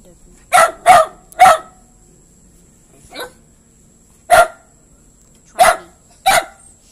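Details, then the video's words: Dog barking in a quiet room, three quick sharp barks in a row, a faint softer one, then three more loud barks at uneven intervals of about a second. "barking dog"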